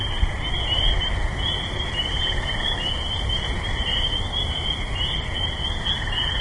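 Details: Frogs chorusing from a swamp and trees behind a backyard in Clarkston, Michigan, USA, in May, binaural field recording; a dense band of continuous trilling, pulsing in waves, over a steady low rumble of highway traffic.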